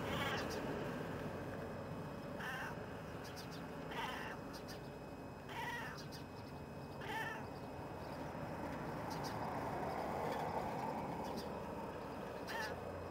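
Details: A male house cat calls from a window to lure birds over, giving a series of drawn-out, wavering meows roughly every one and a half seconds, with faint high ticks and a constant low hum behind.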